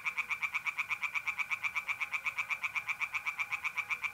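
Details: Close, evenly paced croaking of a tree frog at a pond by night in mid-April, north-east Italy, sharp pulses repeating about four times a second without a break, mole cricket trill faint beneath.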